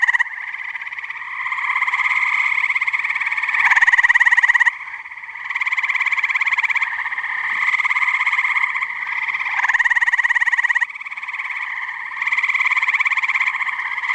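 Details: Chorusing tree frogs at a New Jersey pond on a muggy night, a continuous pulsed trilling drone of many overlapping callers, rising in loudness in waves every few seconds, with louder bursts breaking through.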